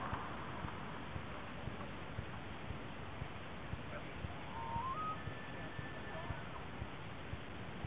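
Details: Bull elk during the annual autumn rut in Rocky Mountain National Park, gathering cows in a mating ritual; a faint, distant whistled bugle climbs steeply, then holds a thin high note for about a second, over a constant low rumbling background.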